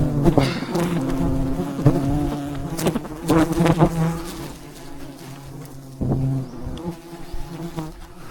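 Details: Wild honey harvest at a giant mountain beehive surrounded by thousands of bees; a loud, rich buzzing hum that swells and dips, broken by rapid tapping and crackling noises.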